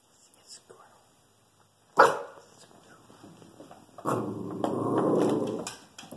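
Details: Shih Tzu barking at a squirrel in a tree, protective; a sharp single bark, then a longer rough, growly bark burst near the end, with a person speaking quietly.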